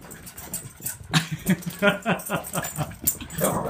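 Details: Female house dog greeting her owner home after a trip gives rapid bursts of whimpers and yips, about three a second, in a small room, mixed with the owner's voice and scuffling.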